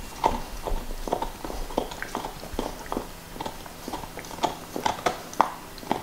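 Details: Nixon the black Lab bites into a beef bone: distinct crunchy snaps land roughly every half second, mixed with wet mouth sounds and licking, no voices.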